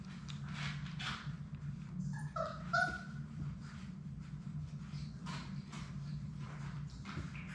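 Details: In their play room, six Labrador Retriever puppies play while one lets out a couple of thin, rising whimpers close together, surrounded by tapping, shuffling bodies and an unbroken low droning hum.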